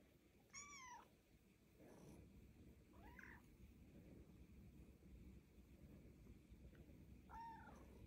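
A Siamese cat gives three loud, harmonic-rich meows, each a short arching wail.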